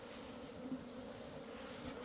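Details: Asian honey bees in an opened hive on 26 September 2023, comb being dug out; the colony's old queen apparently left with a swarm. Steady, low droning hum with a layered harmonic tone, continuous throughout, with no other clear sounds.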